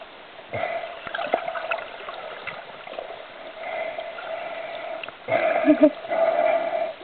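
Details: Young grey seal on Helgoland giving a drawn-out, wavering, bleat-like cry that swells louder near the end, with water splashing and trickling around it.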